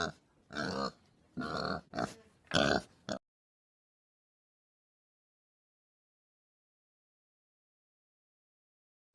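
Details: Pig uttering four quick grunting bursts over about three seconds, then falling silent for the rest of the recording.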